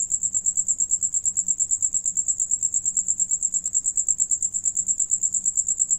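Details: Crickets singing while one of them eats; a steady, high-pitched chirping pulse repeated rapidly and evenly, about three times per second, continuous throughout with a faint low hum underneath.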